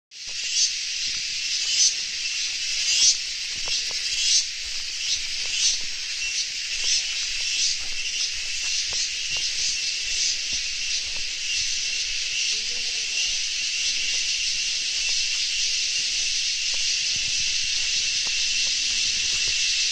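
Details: Crickets trill in a dense, high-pitched chorus that merges into a steady shimmering buzz, at Virajpet, Coorg, Karnataka, India.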